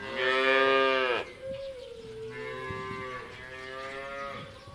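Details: Cows grazing freely in pastures: one gives a loud, rich moo, then a longer, softer one that slowly falls in pitch.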